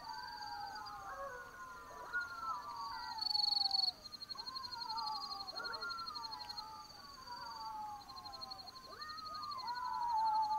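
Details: Several Black-backed jackals howl together at night in the African bush of Botswana, with overlapping descending wails that repeat and cross each other. A steady high insect buzz runs underneath.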